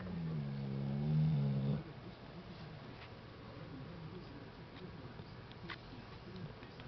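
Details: Dog named Tyson asleep and snoring, a low buzzing snore almost two seconds long that wavers slightly in pitch, then near silence with faint room sounds.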